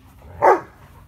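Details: German Shepherd puppy giving a single short, sharp bark with a quick rise and fall, over a quiet low background hum.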